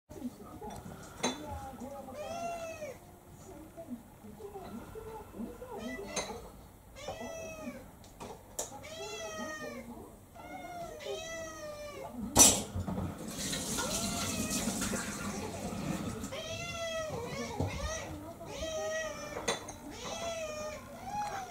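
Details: Domestic cat, a male about seven years old living with several other cats indoors, demanding a special dinner after refusing his meal; repeated rising-falling meows every one to two seconds, with a woman talking, dish clatter and brief music.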